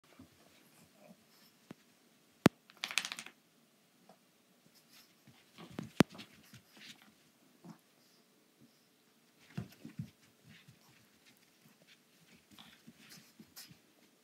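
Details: A female pug puppy, rough with an anglerfish-shaped item, gives soft snuffling grunts and breathy snorts, broken by sharp knocks and clicks.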